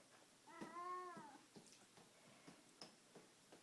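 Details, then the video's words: Rusty Bee, a pet cat, lets out one long wavering meow during rough play with a string toy, followed by soft taps and rustles in a quiet room. "Cat yelling at cat toy"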